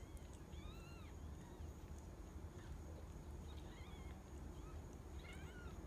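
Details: Tiny kittens born to Mercury, a rescued outdoor cat, aged 4 to 11 days, mewing repeatedly in high, bending squeaks, with clusters at the start, middle and end, over a steady low droning noise.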